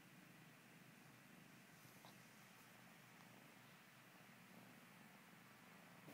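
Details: Kitten purring while kneading, a steady low rumbling drone running continuously through the clip with a faint hiss above.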